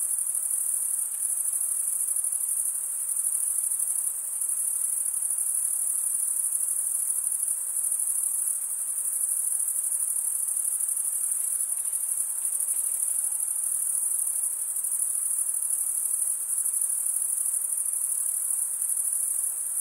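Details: Crickets chirping through a summer night in the forest, a long steady wall of shrill rapid pulsing high up, barely varying in level across the whole stretch.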